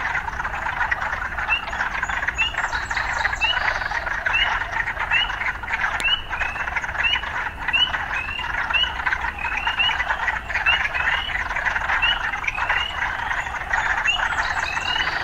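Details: Many frogs call together in a town setting: overlapping short upswept chirps in rapid succession over a continuous pulsing chorus, with a single sharp click near the middle.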